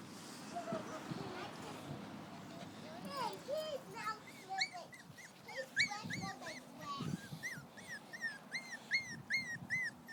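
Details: Puppies outside, a cluster of high, thin whimpers and squeaks starting after a few seconds, then a run of short upward-hooked yelps repeated about every half second, with a person speaking and some background noise.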